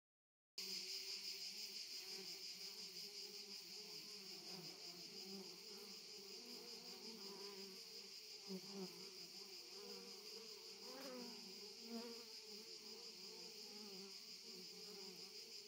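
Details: Honey bees beside a hive at a family estate in Jouques, Provence, southern France, 6 July 2017: a wavering low buzz with passing bees swelling and fading, all under a steady high-pitched insect drone.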